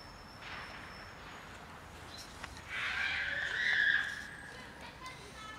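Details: Cat meowing outdoors among many cats gathered for dinner, one rolling on the ground; a single drawn-out, mid-pitched meow of about a second and a half rises out of quiet rural background hiss.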